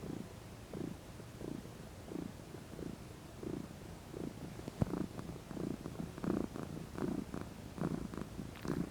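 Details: Sunbathing pet cat, female, stretching and lounging contentedly. She gives a low, rhythmic purr with each breath, about twice every 1.5 seconds, growing louder and rougher midway, with a sharp click near the middle.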